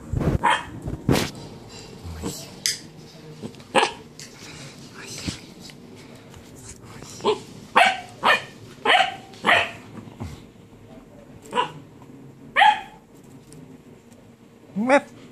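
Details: Basset Hound barking in a sleeping room: a run of short, loud barks, some spaced about a second apart and others in quick pairs, with brief gaps of quiet and a faint steady hum underneath.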